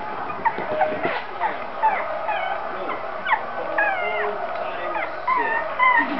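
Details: Female Shih Tzu on her first morning, described as bold; a run of short, high, whiny tones that bend up and down, with several clustered near the end and a faint household murmur underneath.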